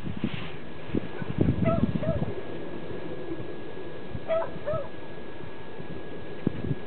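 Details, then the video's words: Pembroke Welsh corgi eating sweet potato gives short, high, thin whimpering yips, two quick pairs a few seconds apart, over a steady background hiss and low rumbling handling noise. "corgi, sweet potato"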